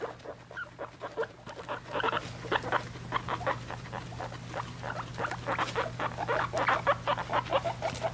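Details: Guinea pig family of a mother and three-week-old babies, indoors as pets during weighing, giving a steady series of short, bright squeaks, several per second, with faint rustling and a low constant hum beneath.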